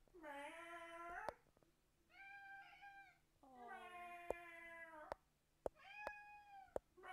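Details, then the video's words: Fang, a house cat, meows back at people imitating him. Four drawn-out harmonic meows, the first and third long and steady, with sharp clicks and knocks in a small room. "Cat Meowing"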